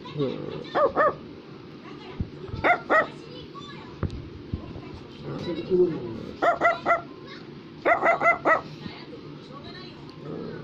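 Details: Brussels Griffon, a small toy dog breed, barking indoors in short clusters of two to four sharp yips repeated every couple of seconds, over background music and a person talking softly.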